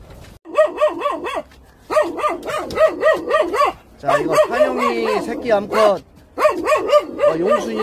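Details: Jindo puppies of a Korean national dog association. Rapid arched, high yelping notes come about four per second in bursts, with short pauses between runs and a man's voice talking in the background.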